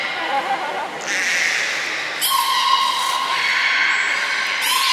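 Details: Belugas Gray, Nana and Niko during training at Port of Nagoya Public Aquarium on 14 October 2019; nasal, harmonic-rich tones hold steady for over a second, then a brighter tone enters, over a hissy hall background.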